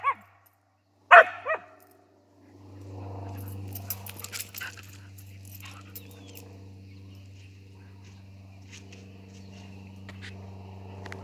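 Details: A playful Siberian Husky barks at a rooster while playing, two sharp, loud barks about a second apart, followed by a steady low mechanical hum with faint clicks.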